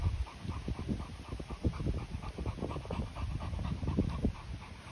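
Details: Short, regular breathy pants, several per second, rising and falling in loudness, from a Continental Bulldog, with 10-month-old Rita meeting her 2-month-old brother Sumo.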